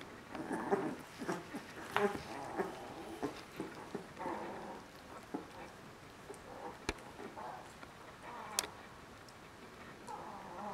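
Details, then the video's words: Border Collie puppies, three weeks old, from a kennel litter, making soft repeated whimpers and squeaks, roughly one every second or two, with some louder yelps and scattered clicks indoors. "Border collie: puppies 3 weeks old"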